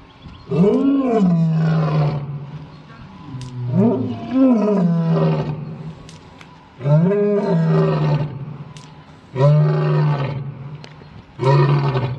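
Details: Roaring lion giving a series of five or six loud, deep moans, each swelling quickly and then sagging into a low drawn-out tone, spaced roughly two to three seconds apart.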